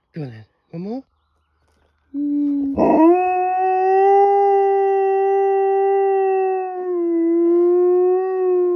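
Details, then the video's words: Female pet dog howling along, wolf-style, at a passing fire truck: a brief voice sound, then a long steady mid-pitched howl rich in harmonics, held for about six seconds and dipping slightly near the end. "Dog has a good old howl at a fire truck"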